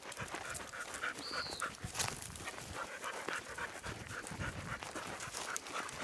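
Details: Panting from a young, strong American Bulldog mix walking with another dog at a rescue sanctuary; steady rough breathy puffs continue throughout, with a short bird chirp near the start and soft outdoor background.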